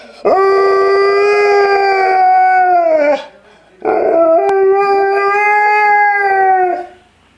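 An Alaskan Malamute gives two long, steady howls, each about three seconds, slightly falling at the end.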